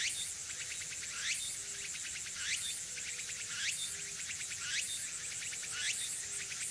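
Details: Tsukutsuku-boshi cicada singing on an early autumn afternoon, 6 September 2022, at Furuta Magarikawa, Nishinoomote, Tanegashima; rising buzzy phrases repeated about every 1.2 seconds over a steady high-pitched shimmer, with a faint low tone between.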